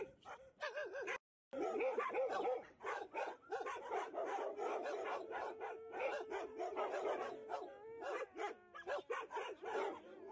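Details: Alaskan Malamute at the Harbin Li Liu rescue station in northeast China, singing to greet an arriving visitor; drawn-out, steady howling notes run beneath a constant mass of barks and yelps from many shelter dogs.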